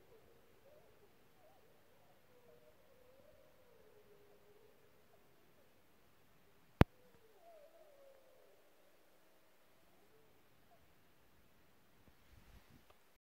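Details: A distant pack of gray wolves (Canis lupus) at night, yipping and carrying on after a fresh kill: several voices howl together in long, wavering, overlapping tones, with a sharp click midway.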